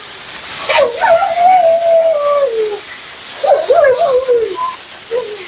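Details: Mila, a talkative female Siberian Husky, vocalizing during her second-ever groom while being bathed; two long wavering howl-like whines, the first sliding down, the second warbling up and down, with running water hiss behind.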